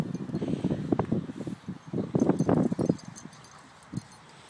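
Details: Two Staffordshire Bull Terriers nearly four years old, one black, one brindle, playing tug as best friends; choppy rasping growls come in quick clusters, strongest in the middle, then fade to quiet.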